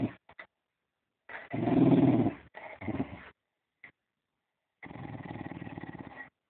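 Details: Fox terrier growling during play: a long rumbling growl with low pulsed texture, broken by brief pauses and short yips, then another steady growl near the end.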